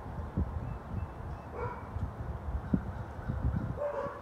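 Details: A neighbour's four dogs bark on January 20, 2021. Short, thudding barks are scattered through, with a couple of higher, drawn-out yelping notes over a low background rumble.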